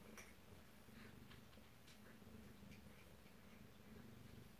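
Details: Alabama kittens at home, close-up on 2/7/18, giving a quiet, low, continuous purr with gentle pulsing, plus occasional light taps and rustling.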